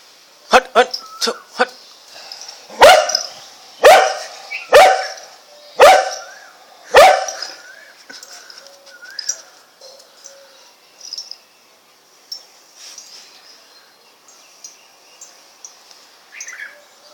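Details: A cocker spaniel fighting with a street dog barks in sharp, loud bursts, about one per second, then quieter yaps follow.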